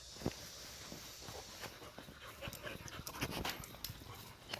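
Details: Pet dog in Iksan, heard panting in quick, breathy bursts with scattered soft clicks and rustles, while faint human voices murmur in the background of an indoor-sounding recording.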